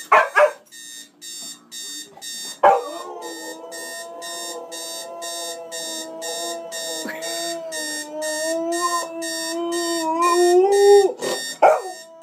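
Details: Pet dog reacting to a beeping alarm clock, which it hates: a long, wavering howl rising and bending in pitch over several seconds, bracketed by sharp barks, while the clock's rapid beeps pulse steadily throughout.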